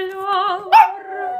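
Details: A Japanese Chin named Bonnibell sings along to the opera aria Il bacio by Arditi: a sustained, wavering tonal howl with a steady pitch, rising into a brief louder yelp midway, then settling back into a held note.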